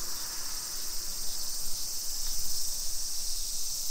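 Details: In a Nisshin city neighbourhood near Nagoya, Japan, on a July 2021 afternoon, massed cicadas produce a continuous sizzling high-pitched whine, swelling slightly midway, over quiet low outdoor noise.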